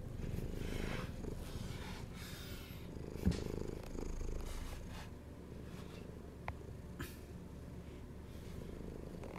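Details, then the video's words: House cat said to be hungry, giving a low rumbling purr that softens partway through, with a few sharp clicks and light handling noises. "Hungry Cat Behaviour"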